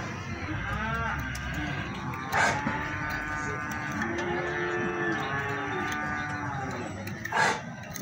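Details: Feeder cattle at Plaosan cattle market, Magetan, Indonesia: drawn-out, harmonically rich lowing lasting several seconds over a steady crowd murmur, with voices and brief bursts of market noise.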